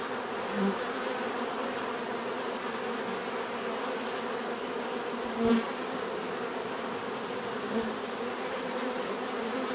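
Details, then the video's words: Steady swarm-like drone of bees, a constant layered hum with a thin high tone above, broken by a couple of short louder buzzes as single bees fly close. "bees therapy relaxing natural buzzing sound"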